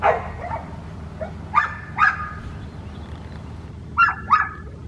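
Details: Red merle female Australian Shepherd puppy from an Oklahoma breeding farm giving scattered high-pitched yips and short squeaky barks, some in pairs with quiet gaps between, against a low background hum.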